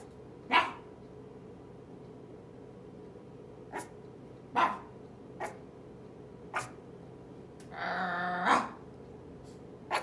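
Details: Merle toy Chihuahua puppy, eight weeks old, barking back: scattered high, clipped yaps, some faint, plus a longer rough, growly bark near the end, with quiet pauses between.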